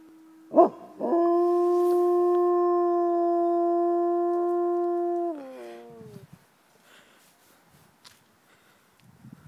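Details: Captive gray wolves howling at Como Zoo in St. Paul: after a sharp yelp, one long, rich, steady howl holds a level pitch for about four seconds, then slides downward and fades into quiet.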